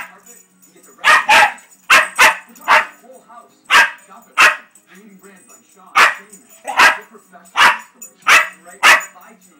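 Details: Pet puppy reacts to a TV carpet commercial he dislikes with a long burst of barking: roughly a dozen sharp barks, some in quick pairs, over a low steady background hum.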